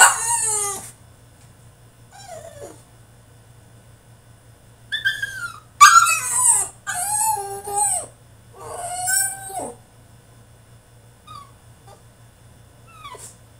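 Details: Caged French Bulldog in a tantrum, giving a string of drawn-out falling whines and yelps in irregular bursts, some loud and harsh, separated by short pauses, over a constant low electrical hum.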